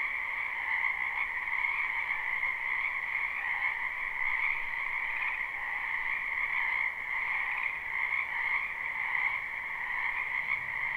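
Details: Live spring night chorus of frogs in a backyard wetland: countless overlapping croaks merge into a continuous pulsing drone, high and low layers steady throughout and swelling slightly now and then, with nothing else audible.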